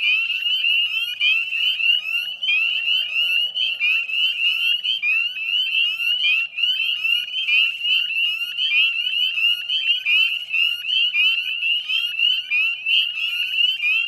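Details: Spring chorus of northern spring peepers recorded at 9:08 p.m. on 18 May 2020 near the Chezzetcook salt marsh, Nova Scotia, Canada; a steady shimmer of high, sharp, upward-sliding peeps from many frogs, overlapping without pause.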